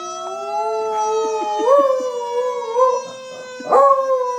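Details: Lily, a Beagle dog, howls at a passing fire truck siren: long sustained rich harmonic tones that hold steady, then lift and waver upward around the middle and again near the end, with soft short yips between.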